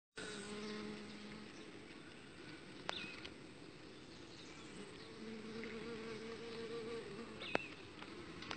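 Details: Uruçu stingless bee princess (young queen) being mated outside the hive box: a low steady droning hum with a higher overtone, in two bursts at the start and again midway, with sharp clicks and faint high chirps behind.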